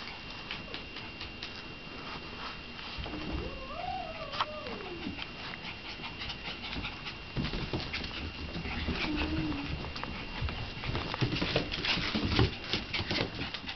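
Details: Shiba Inu mother named Ellen with two puppies; a drawn-out whine rises and falls around the middle, then a shorter, lower whine follows later, over steady hiss and shuffling, clicking noise.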